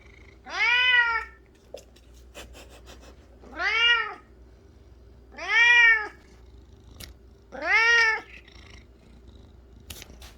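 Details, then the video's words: Cat obsessed with flower petals, giving four loud, drawn-out harmonic meows that rise then fall, spaced about two seconds apart, with a steady low hum underneath. "꽃잎에 엄청나게 집착하는 고양이🐱🚨고막주의🚨"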